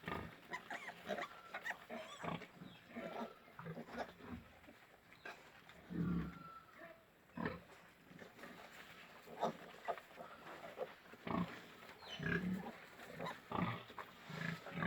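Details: Pigs at a pig farm in Golaghat grunt and squeal in short, rough bursts, with some human voices in the background.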